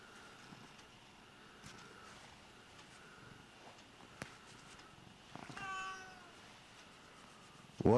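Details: Lynx hybrid cat, one of several exotic pet cats going to bed indoors, gives a short harmonic meow with a falling tone near the end of a quiet stretch, after faint rustling and clicks, ending in a loud thump.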